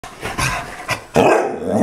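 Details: A dog fixated on a squirrel in the front yard gives a few quick, rough bursts of barking, ending in a louder, sustained yelping cry.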